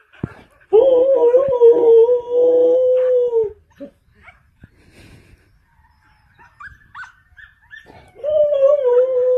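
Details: Fluffy Samoyed holds a steady, strained howl for nearly three seconds, then a pause with small clicks and a few squeaky whines, and a second howl begins at the end.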